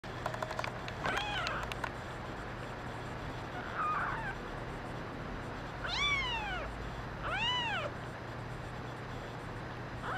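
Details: Kittens, including a brown mackerel tabby female, crying: scattered clicks early on, a faint call near the middle, then two loud, arched, rising-then-falling meows spaced about a second and a half apart. A low steady hum runs beneath.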